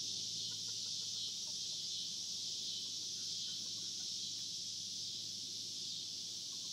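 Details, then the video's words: On the Hard Fifty Farm, cicadas keep up a constant high-pitched hiss, with faint scattered clucking notes, likely farm fowl, in the background. "Recording of cicada sounds on the Hard Fifty Farm"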